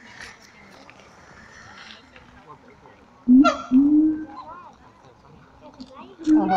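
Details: Siamang apes in captivity at Taronga Western Plains Zoo, worked up: a low background murmur gives way midway to loud, sliding hoots and a sharp burst, then more calling near the end.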